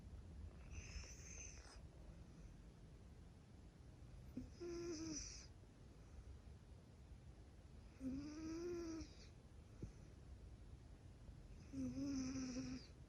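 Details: Peaceful domestic cat snoring and purring while resting: four soft breathy snores roughly every three and a half seconds, each carrying a thin whistling nasal tone, in a quiet room with faint background hiss.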